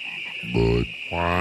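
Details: Low, rich croaks from frogs at Great Falls National Park, McLean, Virginia, where the croaking is non-stop; two resonant, nasal calls in quick succession with a constant shrill background drone.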